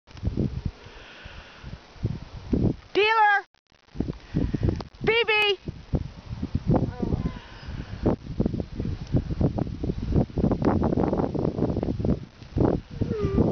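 Alaskan Malamute gives short, rising-and-falling yodelling calls over background voices and rustling.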